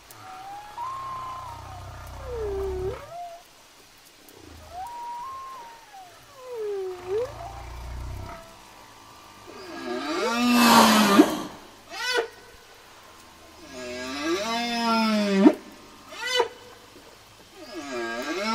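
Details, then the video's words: Whale song of slow, swooping tonal moans that rise and fall in smooth arcs, followed by louder, harsher rising whoops and short bursts, with quiet gaps and low rumbling between phrases. "Whale Sounds"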